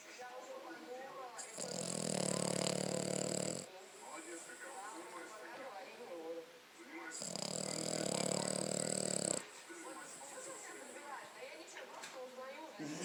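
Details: Five-month-old French Bulldog sleeping and snoring: two long, loud rasping breaths of about two seconds each, separated by quieter stretches with soft background voices and rustling.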